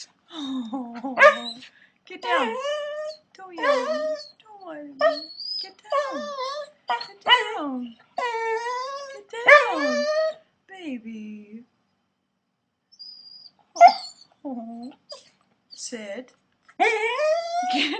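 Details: Corgi; whining vocalizations; begging for food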